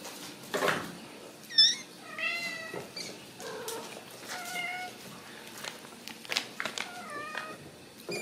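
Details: Several Ragdoll kittens at a home cattery in central Kansas, where they are born and raised without cages, giving repeated thin, wavering meows, some short and squeaky, others drawn out and falling, amid rustling and tapping.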